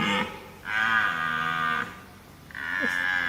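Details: Italian red deer bellowing, likened to a cow's moo but terrifying: two drawn-out, harmonic, moaning bellows, the first about a second long and the second cut short, separated by a quieter gap.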